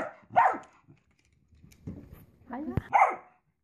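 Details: Pet Dachshund indoors lets out two sharp barks about two and a half seconds apart, with quieter whines and a knock-like thump between them.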